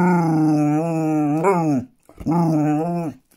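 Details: Basset hound talking to people with funny gurgles and growls; two drawn-out, moaning howl-like vocalizations with a wavering tone, the first long and bending upward midway, the second shorter after a brief pause, indoors.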